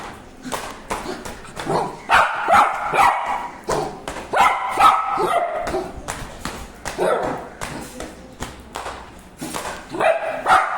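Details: Dogs barking in a fast, uneven volley of sharp yapping barks, more than two per second at times, continuing steadily with brief pauses throughout.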